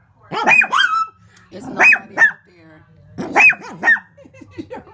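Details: Pet Shih Tzu barking at its own reflection in a window: three bursts of sharp, high yappy barks, mostly in pairs, with brief pauses between them and a quiet indoor background.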